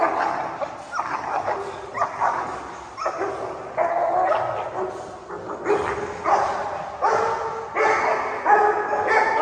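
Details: Tibetan mastiff puppies in a fight, attacking and biting each other badly. Harsh yelps, whimpers and snappy barks repeat roughly every second, with short growling scuffles between them.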